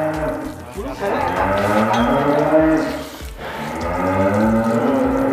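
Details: Angus cattle, a large bull kept in a pen in Indonesia, giving long low moos with rich harmonic bands, two drawn-out calls separated by a brief pause, with faint background music.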